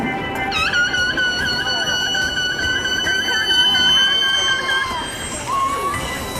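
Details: Killer whale calls at SeaWorld San Diego, September 14, 2016, a group including Corky, Shouka, Keet and Ikaika: a sharp upward sweep, then long, nasal, brassy tones holding steady and bending downward.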